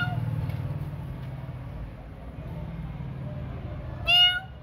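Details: Cats waiting for food at night: after four seconds of low humming background, a single short, loud meow with a rising-falling contour closes the recording.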